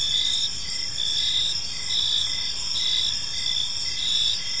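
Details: Park crickets at dusk produce a shrill unbroken trilling chorus, punctuated by brief regular chirps about twice per second, over quiet low ambient noise.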